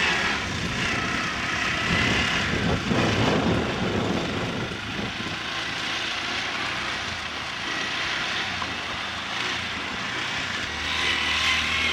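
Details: Steady droning engine noise, like a propeller aircraft, fills the recording outdoors with broad rushing hiss and no animal sound.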